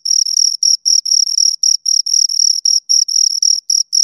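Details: Two crickets give shrill, slightly trilled chirps in quick succession, about four each second, separated by short silent gaps; a clean recording with no background noise.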